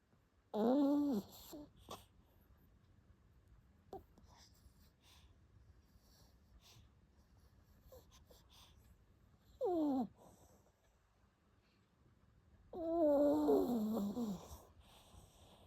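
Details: A pet dog snoring louder than usual, with whistling, wheezy tones that rise and fall. The three loudest bursts come near the start, around ten seconds and around thirteen seconds, with faint clicks in between.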